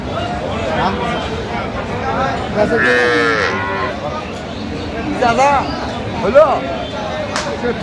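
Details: Cow or calf lowing at Aftabganj cattle market in Dinajpur, 8 November, where cows and calves are sold: a drawn-out harmonic moo near three seconds, with shorter rising calls later, over a busy hum of voices and crowd noise.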